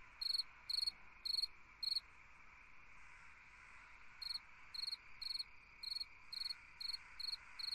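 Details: Summer night cricket chirping in regular pulsed bursts, roughly two per second, with a quiet break of about two seconds between groups, against a continuous background hum of other insects.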